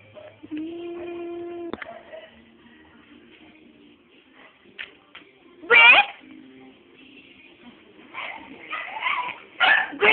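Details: Pet dogs at home give short, sharp bark and yip bursts, one near the middle and a quick cluster toward the end, between quieter stretches with a steady tone early on and a person coaxing them to come.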